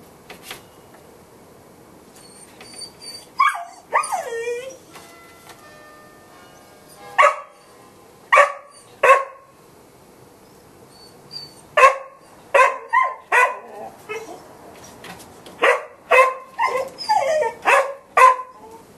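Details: A Golden Retriever gives sharp, clipped barks in uneven bursts, with a whiny, yelping note early on.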